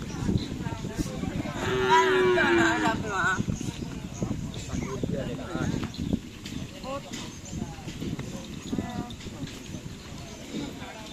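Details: Cattle at a karapan sapi racing practice, Asemanis field, Pamekasan: a strong, slightly falling moo of about a second near the start, followed by a crowd talking and steady rumbling noise.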